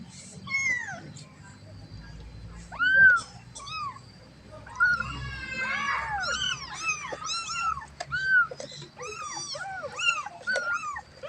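A kitten gives rapid, high, arching meows, calling out for its mother.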